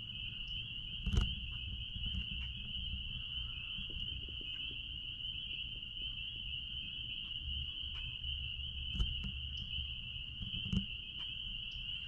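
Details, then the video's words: Chorus of spring peepers behind a blueberry farm: continuous high, piercing peeping blended into a steady ringing drone, with faint low rumble and a few scattered clicks and taps. "Peepers sounds out back at Blueberry farm"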